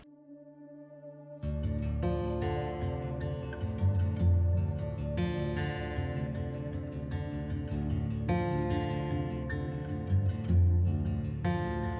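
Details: Soft new-age guitar music plays throughout, starting after a quiet first second and a half.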